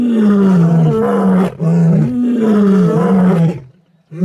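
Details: Lions roar in MalaMala Game Reserve, Africa: Kambula pride members and Ndhzenga males, seen mating and with cubs. Two long, loud, drawn-out moaning roars slowly fall in pitch, then a brief silence and the start of another.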